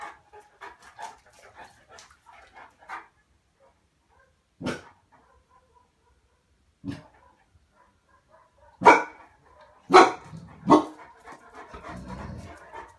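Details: Cane Corso barking: single deep, loud barks at about 4.7 and 7 seconds, then a burst of three close barks between 9 and 11 seconds, with quieter grunts and rustling in between.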